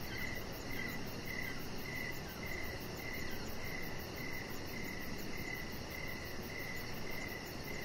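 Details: Evening crickets near a deck with decoration lights and a resting chihuahua, giving steady, evenly spaced high chirps roughly twice a second, set against a fine high-pitched pulsing and continuous soft rushing noise.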